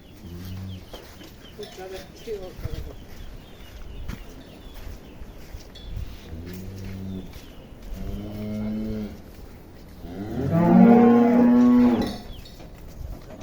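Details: Cows on a dairy farm in Bangladesh being loaded for sale: several short low moos amid men's speech and shuffling, ending in a louder drawn-out bellow.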